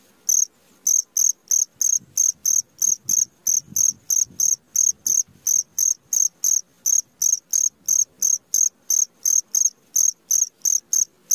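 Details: Cricket heard at midnight: a regular, unbroken series of brief, piercing high chirps, close to three each second, with only faint low murmurs underneath.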